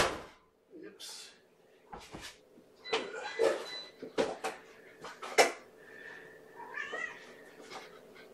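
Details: Domestic cat at a breakfast feeding in a kennel room, mother Gamora with her five kittens; short high meows and a rising, wavering mew rise among clicks, thumps and bits of human speech indoors, with a steady background hum.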